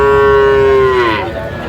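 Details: Sahiwal bull calf, five to six months old, at a Kurigram cattle market on 22 April 2025, gives one sustained level moo that bends downward and fades, with a low crowd murmur behind.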